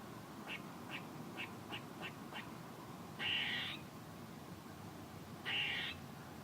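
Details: Squirrel opening with six short, soft chips in quick succession, then two longer, harsh buzzing bursts a couple of seconds apart.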